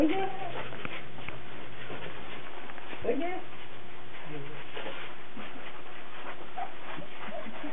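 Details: Cardigan Welsh Corgi puppies, recorded 17 March 2008, giving a few short, thin whimpers and a rising yip near the middle, with human voices talking over much of the recording.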